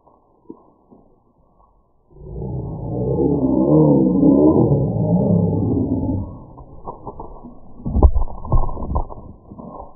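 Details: Badgers fighting in a garden on 14 July 2019, one running at the person recording: a loud, rough, growling roar swells for about four seconds, followed by scattered thumps, scuffling and rustling.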